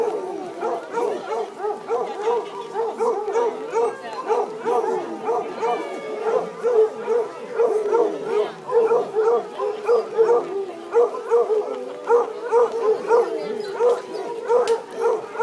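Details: Basset Hounds competing in a Best Howl contest on a rainy Sunday afternoon at Legion Park, Woodburn, Oregon, 17 July 2011; steady overlapping howls pulse in quick repeated bursts throughout, with several dogs joining in and crowd voices behind.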